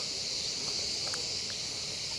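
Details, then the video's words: Crickets in pine trees around a hotel above the bay at Icmeler, Turkey, fill the early-morning air with a steady, high-pitched buzzing drone that never pauses and goes on all day, every day. "That noise you can hear is crickets. That pretty much goes all day every day."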